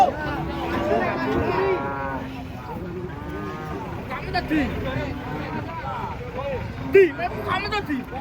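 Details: Giant cattle being unloaded from a truck, lowing in long, steady, low moos of one to two seconds each, overlapping with other animals, while people talk and shout nearby.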